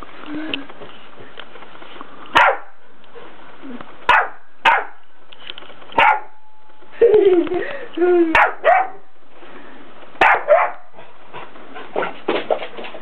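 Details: Impi, a 4-month-old Labrador Retriever puppy, barks while playing with an 8-year-old cat indoors. Short, sharp barks and yips come in separate bursts a second or two apart, with human voices in between.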